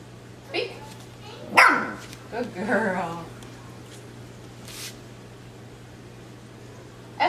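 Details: Trained to speak on cue, 12-week-old Miniature Schnauzer Escher gives one short, sharp indoor bark, then a woman's voice praises her; a faint click and a light tap sound later in a quiet small room.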